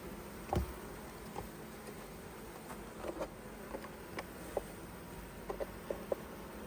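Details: Honey bees at a hive opened to take honey, with frames being handled and set aside; a steady low buzzing hum of the colony runs throughout, broken by scattered sharp knocks and clicks from the frames.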